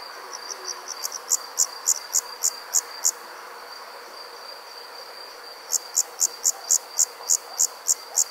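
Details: Nighttime chorus of crickets: bright, high chirps repeated rapidly, a run of about ten fading out, a short lull, then another steady train of loud chirps, all over a continuous thin high-pitched drone.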